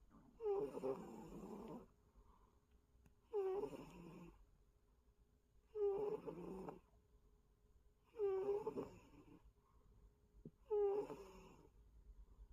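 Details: Snoring of a pet cat indoors: five rasping, buzzy breaths, each about a second long, repeating roughly every two and a half seconds with quiet gaps between them and a faint steady hum underneath.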